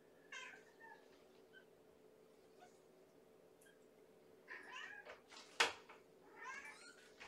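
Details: A starving kitten girl in a foster kennel moves toward the door at bedtime feeding, 4 May 2018, littermates and mother nearby. Several thin, harmonic meows are scattered across the recording, with a sharp knock and a low background hum.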